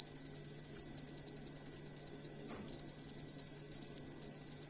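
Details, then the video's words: Cricket calling, a sound used as a master recording for tutoring songbirds; a steady, high, shrill trill of rapid pulses runs without a break throughout, pulsing in quick regular beats. "Suara Jangkrik Buat Masteran Burung Kicau"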